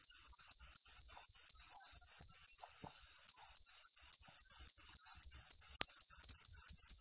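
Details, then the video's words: Cricket chirping in high, shrill pulses repeated about three to four times a second, a brief silent gap near the middle, then the steady pulsing resumes; one faint sharp click in the background. "Suara Jangkrik"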